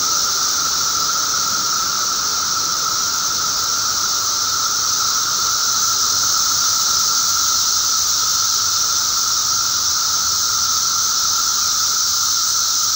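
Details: Mass emergence of Magicicada periodical cicadas, May 19, 2011; countless insects merge into a continuous shrill wash of sound over a steady buzzing hum, with no pauses or breaks.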